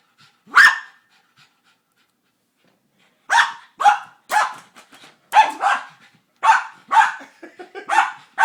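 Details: Froto, a dog excited by a cat toy whose ball is stuck inside, lets out one loud bark, falls quiet, then fires a fast run of sharp barks, some in quick pairs.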